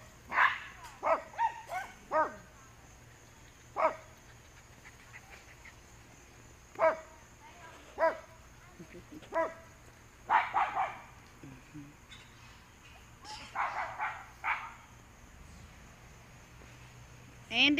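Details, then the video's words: Dogs fence racing, a busy run of short sharp barks in uneven bursts, some clustered, others spaced by pauses, with higher yelps and a person's voice mixed in, over a steady faint high hum. "Fence racing"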